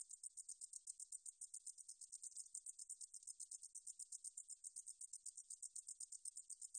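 A meadow katydid gives a high, dry, pulsing buzz, ticking along several times a second without pause.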